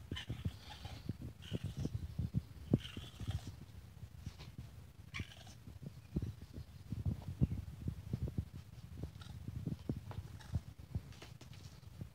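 A young raccoon gives low, purring churrs broken by rapid clicking chitters.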